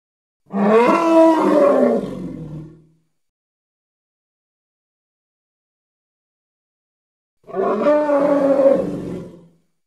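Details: A Congo hippopotamus gives two rough, harmonic bellowing calls about two seconds long, a long silent gap between them, each fading out at the end.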